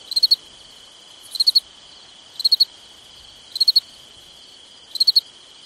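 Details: Summer night crickets chirping in tight three-pulse bursts, spaced a little over a second apart, above an unbroken shrill background tone.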